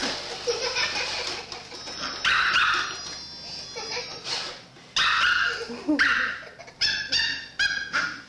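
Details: Puppy riding a robot vacuum around a house: a series of short high yips and barks with harmonic bands, separated by pauses, alongside women speaking French.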